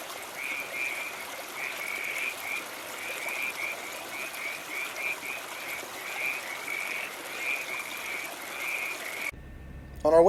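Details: California tree frogs, active at night in a riparian canyon of Los Angeles' San Gabriel Mountains, give short, rasping croaks in quick irregular bursts, several overlapping, over a faint background hiss; a sudden bump ends it.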